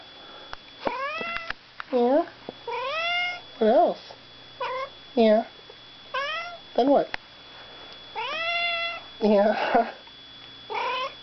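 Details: Indoor cat meowing repeatedly while a person talks back to it: about a dozen short, tonal meows, some rising, some falling, spaced one to two seconds apart, with a faint steady hum underneath.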